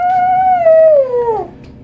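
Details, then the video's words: Toy poodle singing to a person with a smooth, level howl that slides gradually downward and fades out after about one and a half seconds. "the singing toy poodle"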